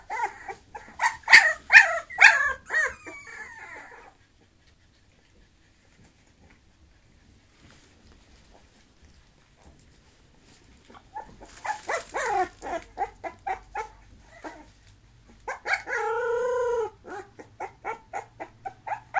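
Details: Bulloxer mixed-breed dog yelps in two bursts separated by a long silence: quick, sharp, high yips first, later a flurry of yips with one sustained whine in the middle.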